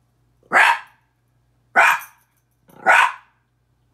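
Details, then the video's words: Miniature Pinscher called Petey, barking at his mirror image; three full, loud barks spaced about 1.2 seconds apart and the start of a fourth, each bright and slightly ringing, with a faint hum behind. "Minature Pinscher barking"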